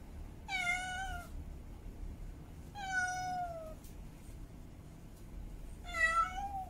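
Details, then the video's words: Female domestic cat in heat meowing to call a mate: three long, bright, harmonic meows, slightly falling or wavering in pitch, repeated about every two and a half seconds against a soft indoor hush. "Female Cat In Heat Meowing Mate Calling"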